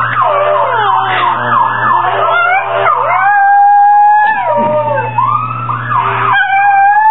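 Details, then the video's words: A male Chihuahua throws his head back and howls like a hound in wavering, rising and falling notes, set off by the wail of a passing fire truck siren. "Piruli the Hound Dog?! (the fire truck siren howls...)"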